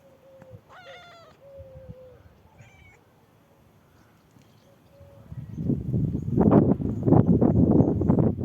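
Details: A black kitten, shown as a lover of heights, gives clear tonal meows in the first two seconds, one long and level, then shorter rising ones, followed by loud rustling and handling noise.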